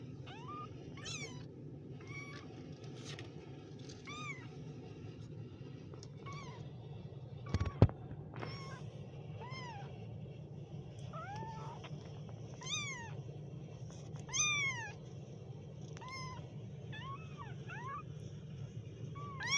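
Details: Kittens meowing in a busy run of high, thin mews, some rising then falling, repeated irregularly throughout, with one sharp knock midway and a steady low hum beneath.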